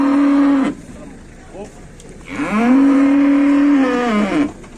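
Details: Cow lying down that refuses to get up after unloading from a truck, possibly bloated, while a large crowd watches in Indonesia. A short moo is followed by a long, steady, loud moo lasting about two seconds, with faint voices between.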